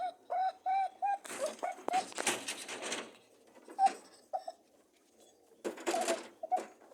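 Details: Rabbits mating: a run of four even humming honks opens, then loud rustling grunts and scuffling take over, with a few isolated honks near the end.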